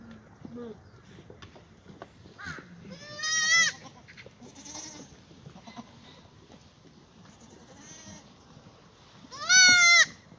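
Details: Black goats in a farm exercise yard in Gimhae, South Korea, on a sunny Tuesday morning, 2 April 2019: two loud, wavering nasal bleats a few seconds apart, with soft scattered calls and rustling between them.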